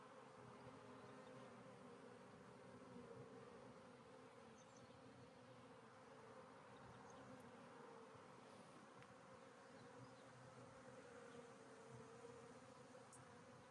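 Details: Continuous low buzzing of a honey bee colony in a hive split receiving a new caged queen, which flies out when released; the drone holds constant for the whole stretch, with faint brief ticks above it.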